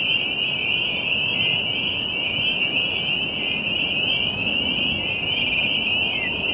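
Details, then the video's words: A steady, dense chorus of tree frogs at a pond near Jamaica Bay, New York City, forms an unbroken high trilling shimmer over a low rumble of distant traffic or wind; green-winged teal are also present. "Tree Frog sounds"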